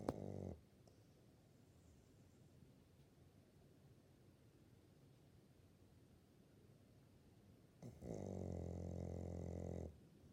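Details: Elderly female Labrador Retriever, sixteen years old, asleep and snoring: two loud low rumbling snores, one brief at the start and one lasting about two seconds near the end, with quiet breathing between.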